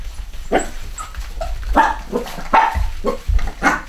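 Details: Cavachon puppies, a Cavalier x Bichon litter of little boys and girls at a UK breeder, giving a run of short, yappy high barks and whimpers, roughly one every second, with low thumps between.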